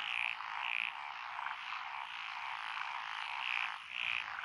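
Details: Frogs calling from lotus rice paddies beside a rural road, Echizen, Fukui Prefecture, Japan, 12 June 2021; a continuous rasping chorus with a few loud short croaks standing out near the start and end.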